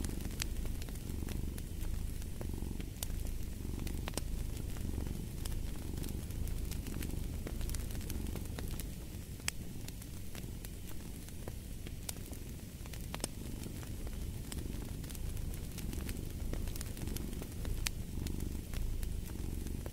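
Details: Long stretch of unbroken cat purring, a low throbbing hum pulsing with each inhale and exhale, accompanied by the constant crackle and occasional louder pops of a wood fire.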